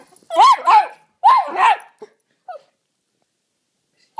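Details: Jack Russell Terrier indoors, going wild at a toy helicopter: two sharp double barks about a second apart, then a couple of short faint yelps and silence.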